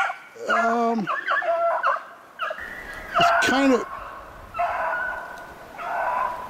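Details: During a February 25, 2016 snowshoe hare hunt, beagles let out long wavering howled bays, one voice bending sharply up and down, with quieter dogs baying further off.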